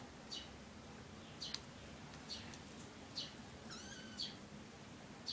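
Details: Three kittens with their mother cat; faint, short, high-pitched mews repeat roughly once a second, with one longer, overtone-rich mew near the end against steady low background hum.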